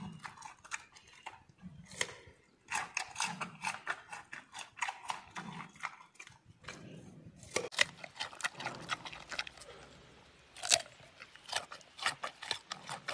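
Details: Giant panda eating bamboo shoots, with dense crisp crunching and snapping bites in quick bursts, brief pauses between mouthfuls, and soft low thuds underneath.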